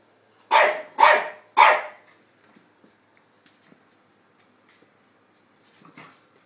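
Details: Dogs playing: two-year-old Chihuahua Tony and eight-week-old English Staffordshire pup Dexter. Three sharp, bright barks in quick succession about half a second apart, then quiet with faint small knocks and one soft yip near the end.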